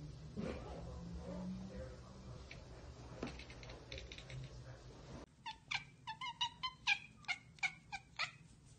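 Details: Domestic cat chattering after spotting a bird or insect out of reach: after a murky, noisy start, a rapid string of sharp clipped chirps, roughly three per second, each a short bright staccato ek, in a quiet room.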